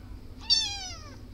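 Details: Domestic cat giving one clear meow, high and thin with many harmonics, starting sharply and gently falling in pitch over about half a second before fading, low steady hum underneath.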